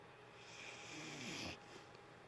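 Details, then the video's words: One drawn-out, airy snore from a dozing dog, mostly breathy hiss with a faint low rattle, cut off sharply after about one and a half seconds in a quiet indoor space. "Rome dog snoring"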